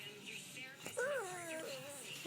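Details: A five-month-old pug named Bai Bai whines to ask for a treat while following commands indoors. Its drawn-out, melodic whine rises, then slides down and wavers, after a short click. A woman's quiet voice is heard around it.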